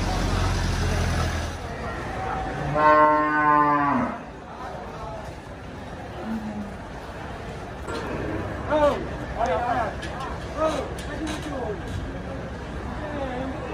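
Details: At the Sibreh animal market in Aceh Besar, Indonesia, a large cow lets out one long, low moo that sags slightly in pitch, followed by market chatter, voices and background traffic.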